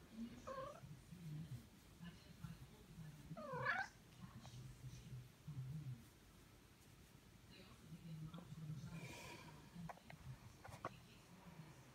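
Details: Tom, a domestic cat, gives a short meow at the start, then a louder, rising, strained meow a few seconds later. Faint softer sounds follow over a constant low background hum.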